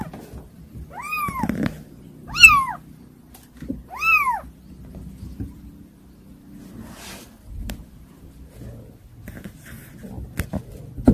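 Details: Unruly kittens give three clear arched meows in the first seconds, then a quieter stretch with scattered taps and faint rustling.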